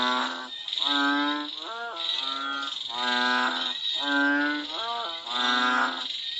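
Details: Cambodian frogs crying out in the rain. Several voices give deep, harmonic, moo-like notes, some with a quick upward bend, in overlapping bursts roughly once a second, with continuous shrill insect buzzing behind.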